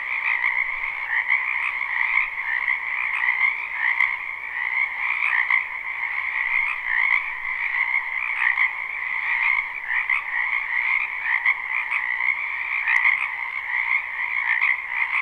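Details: Spring wetland chorus of numerous frogs, recorded live without looping: unbroken layered croaking and trilling, pulsing slightly but never pausing, with a few faint clicks standing out over the steady wall of calls.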